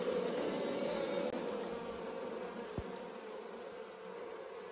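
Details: Honey bees in village countryside in Nepal hum in a dense, steady drone, with many wingbeats blending into one continuous buzz.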